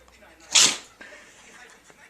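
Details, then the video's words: Pug named Sophia indoors during a sneezing attack: one sharp, hissing sneeze burst near the half-second mark, followed by faint sniffing and quiet room noise. "Pug Sneezing attack"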